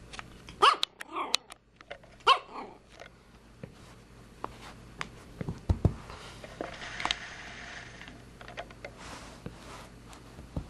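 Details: Beatrix, a Pomeranian puppy about 14 weeks old, indoors giving a few short, sharp, high yappy barks near the start, then quieter scattered clicks and rustling.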